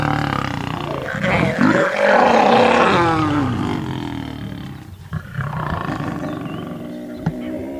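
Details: Lions in a roaring fight as three Birmingham males visit the Nkuhuma pride and cubs at sunrise, August 11, during a safari broadcast; harsh, snarling roars swell and fade over several seconds, with a guide talking softly.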